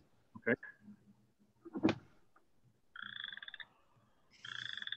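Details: A chorus of calling male Western Chorus Frogs gives rapid, rasping, pulsed trills after a man's voice.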